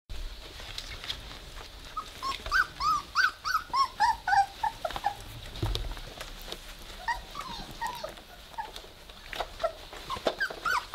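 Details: Three-week-old Weimaraner puppies playing together indoors, starting to growl; high squeaky yelps and whines come in quick bursts, several per second, with a run of clear rising-falling squeals through the middle and soft rustling beneath.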